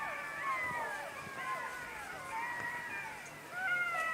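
Several jackals howl together, their high wavering voices sliding up and down and overlapping.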